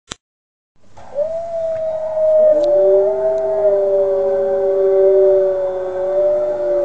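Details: Young Northern Inuit dog, five months old, learning to howl: a long steady drawn-out tone with a second lower voice joining and holding beneath it, both sustained and slightly wavering.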